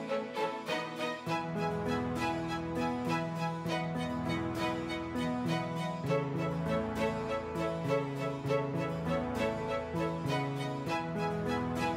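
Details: Only background music is heard: plucked and bowed string melody over a steady, even beat, with no animal sounds.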